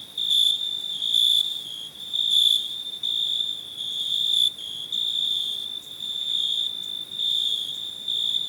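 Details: Cricket giving a steady, high, ringing trill that swells louder roughly once a second, with faint fainter pulsing overtones and a soft background hiss.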